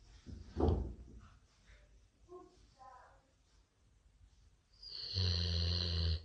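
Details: A Golden Retriever snores on a Sunday morning with low, rumbling breaths, ending in a loud, buzzy snort.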